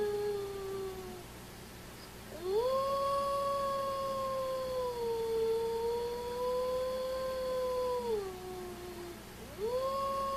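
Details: Cedric, a dog showing off his howling, lets out repeated long howls: a trailing tail of one, then a sustained wavering howl of about six seconds that dips and recovers before falling away, and a fresh rising howl begins.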